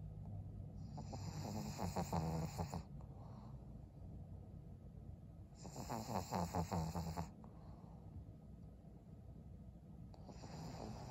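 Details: Maria, an old fawn female pug aged twelve, in Japan in December: deep snores with a throaty, vibrating rattle recur roughly every four seconds, with softer breathing sighs in the gaps.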